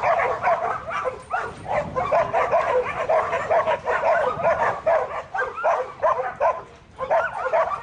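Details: Buttons, a young male Border Collie in training and a futurity prospect for 2012, sired by Brett out of the female Babie, gives rapid, uneven bursts of barks and yips that run almost without pause, with brief gaps near the end.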